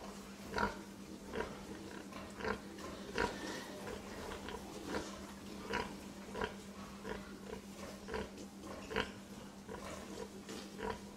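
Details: Pig grunting: short, low, nasal grunts repeated irregularly about every two to three seconds, with a steady low electrical hum underneath throughout.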